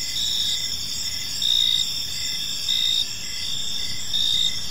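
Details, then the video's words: Evening chorus of crickets in a quiet park, a continuous shrill ringing with rapid pulsed chirps and louder swells roughly every second and a half, over faint low background noise. "Cricket Sounds in a Peaceful Park"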